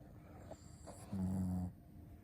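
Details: Shih Tzu snoring: a single low, droning snore lasting about half a second, with a steady rumbling tone, preceded by faint soft breathing noises in otherwise quiet surroundings.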